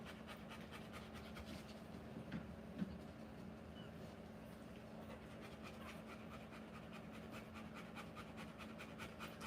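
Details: Panting Rottweiler during a live birth of puppies, quick rhythmic breaths repeated evenly over a low steady hum, with two small knocks early on.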